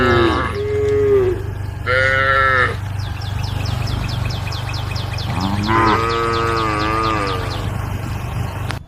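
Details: Cattle roaming the road call to the herd: several moos, one short and pitch-bending, one steady, and a longer wavering one near the end. They sound over a constant low hum, with rapid high chirps in the middle.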